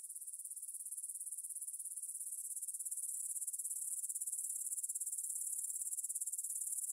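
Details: Grasshoppers in a meadow near Bryansk's Svensky monastery, Russia, recorded at 9 pm on 6 September 2020 with a Tascam DR-44WL; shrill, high buzzing with a fast, even pulsing rhythm, slowly swelling in loudness.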